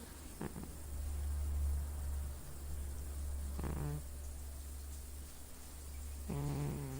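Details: Sleeping pet cat snoring indoors: rough, buzzy snore breaths with a low harmonic stack, heard about every three seconds over a steady low hum.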